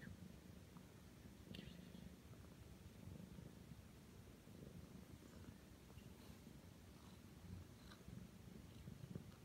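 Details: Aki, a nine-month-old Ragdoll cat, settles on the bed for kneading and affection once its owner lies down. A soft, steady, low rumbling purr runs without a break, close up, with faint rustling and tiny clicks.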